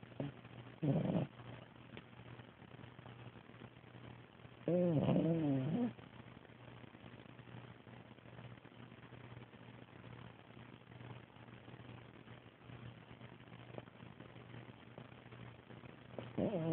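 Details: French Bulldog snoring on 11 December 2010: a single rough, vibrating snore of about a second, with brief faint snorts at the start and end and a low hum in the background.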